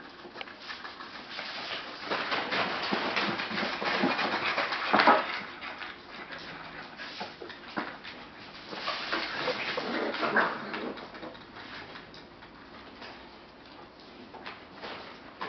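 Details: Australian Shepherd puppies at a daycare, indoors, giving bursts of breathy whimpering and short whiny squeaks, loudest around the middle, mixed with panting, rustling and a constant low background hum.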